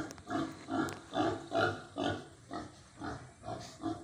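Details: Pigs eating on a farm give steady, deep rhythmic grunts, about two per second, each a short harmonic huff rising and falling in loudness, with a faint steady hum behind them.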